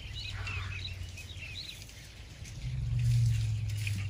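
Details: Elephants purring at night right outside a tent in Tarangire National Park, Tanzania, a sound mistaken for a big cat; a herd was found there eating tree limbs. Deep, steady low rumble in two long bouts, faint bird chirps above.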